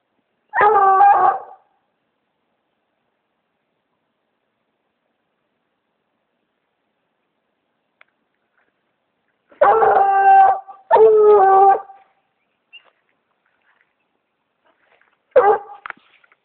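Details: Redbone Coonhound treeing a raccoon up a palm tree, giving four long, loud, drawn-out baying howls with rich harmonics, two close together mid-recording, separated by long silences.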